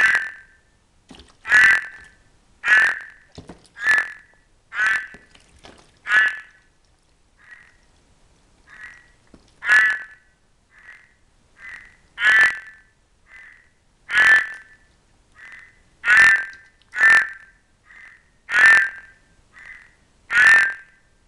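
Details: Cranwell's horned frogs, one albino and eager for amplexus, alongside Ceratophrys aurita; loud rasping croaks arrive irregularly, mixed with softer shorter croaks between them, with nothing else audible.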